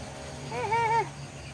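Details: Pet dog, one of several in the household, giving a single short whine: a wavering harmonic tone that dips, rises and falls again over about half a second, against faint outdoor background noise.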